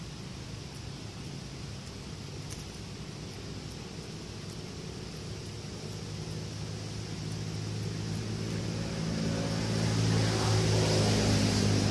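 Low engine rumble of a passing vehicle builds over steady outdoor noise, with no animal calls.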